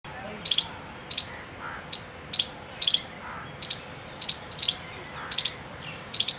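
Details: A squirrel gives sharp, high chipping alarm calls, an alert, repeated in quick single and doubled bursts.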